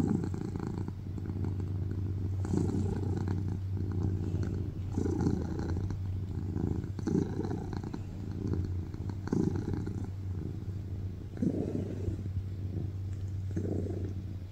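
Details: Tuxedo cat named BabyCharlie purrs loudly on a lap, a continuous deep rumbling drone rising and falling in breath-paced waves, about one swell every one to two seconds, no other sounds.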